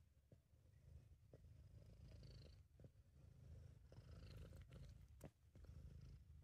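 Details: Sabu, a British Shorthair cat, purring while relaxed and content, recorded by an amateur indoors: a steady low rumbling drone with faint soft breathy pulses and a few light clicks above it.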